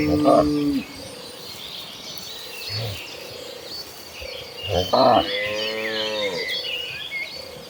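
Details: Dozens of tame cattle move as a herd toward farm grazing land; a short low call at the start is followed later by a drawn-out, falling moo, with birds chirping and insects humming throughout.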